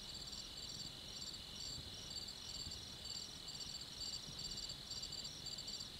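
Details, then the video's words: Crickets at night giving steady high-pitched trilling and regular bursts of pulsed chirps, evenly spaced, above a quiet low-frequency hum. "Soothing Cricket Sounds"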